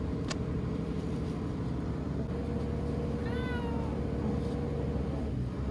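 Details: Frightened ear-tipped cat Chanta, caught and kept in a bathroom during Typhoon No. 10 in September 2020, cries once with a long, descending meow; a sharp click and steady low droning noise surround it.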